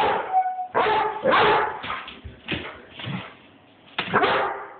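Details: Airedale Terrier Bruno barking at his filmer, captured on an Android phone: a ragged string of barks, some clipped and whiny, others fuller, running together with uneven spacing.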